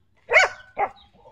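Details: Xiao Mi, a pet dog said to be happy with the day's weather, gives a loud arched bark followed by a shorter, lower second bark and a faint trailing whine.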